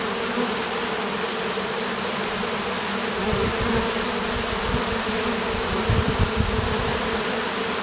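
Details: Oriental hornet (Vespa orientalis) in Campania, Italy, a problem for local beekeepers. A loud, close buzzing drone of many insects, with soft low thumps and rustles in the middle and the end.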